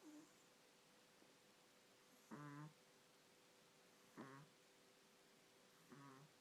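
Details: Sleeping pup snoring while a second dog sleeps quietly nearby: three short, rough, nasal snorts spaced about two seconds apart in a quiet indoor room.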